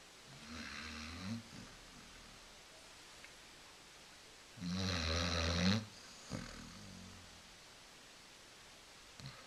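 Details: A female Basset Hound asleep on a couch snores in deep, rattling rumbles, each breath a low, drawn-out snort.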